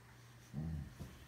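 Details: A Boxer dog making funny sounds: a short, low, harmonic grumbling groan lasting about a third of a second, followed by a brief soft huff, over a steady low electrical hum indoors.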